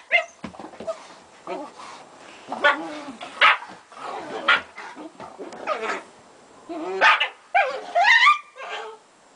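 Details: German Shepherd mother playing with her puppies, giving a string of short, irregular barks and yips with harmonic whines between them, spaced unevenly over about nine seconds.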